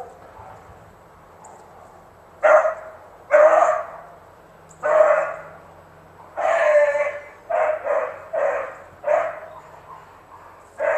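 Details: Pet Beagle Romeo Scott baying. After two quiet seconds come rough, hoarse bays, first spaced well apart, then bunched into a quicker run of five or six calls near the end.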